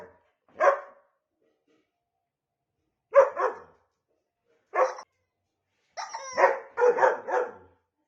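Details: Agitated female dog barking at her toy while her owner plays with it indoors; three spaced, sharp barks, then a rapid run of four or five strained, whiny barks at the end.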